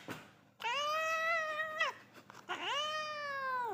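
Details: A domestic cat, possibly a Munchkin, gives two long, clear meows, each steady in pitch before dropping away at the end.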